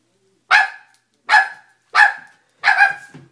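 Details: Loud Dobermann barks, four of them, each a sharp, harsh burst about 0.7 seconds apart, the last slightly longer and rougher, with silence between.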